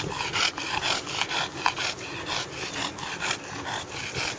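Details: Justice, a bulldog out in a park on a Sunday afternoon with another dog, Coco, playing soccer, breathes in quick, breathy, raspy pants that repeat roughly twice a second, with light outdoor background noise.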